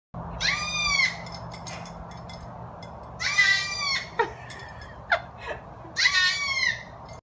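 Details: Baby goat unhappy about the pool, giving three loud, wavering, harmonic bleats about every two and a half seconds, each rising then dropping, with a few short knocks between them over a low steady hum.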